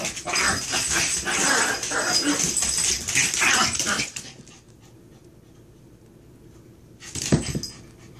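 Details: Chihuahua fighting, shrill high-pitched yips and whimpers crowded into a dense burst for about four seconds, then near silence before one brief sharp outburst near the end.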